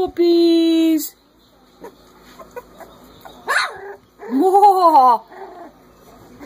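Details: Chorus of three-week-old Corgi pups: a level, sustained howl for about a second, quiet shuffling, then an arched wail that rises and falls, with faint whimpers between.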